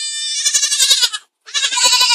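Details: Young goat giving two long, strained bleats, the first over a second and quavering, the second following after a brief pause.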